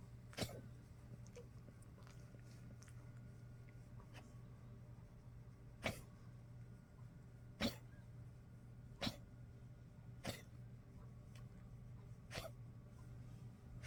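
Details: Old Poodle waking on a cold day, 30 March 2025, coughing before trying to sleep again: sharp, dry, broadband coughs at irregular gaps, mostly single bursts several seconds apart, over a steady low indoor hum.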